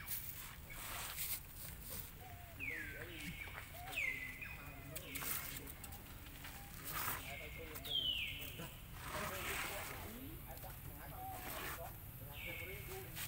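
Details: Baby monkey Lucie, denied milk by its mother, gives a string of loud high-pitched cries that drop abruptly in pitch, spaced a second or two apart, with voices and rural ambience underneath.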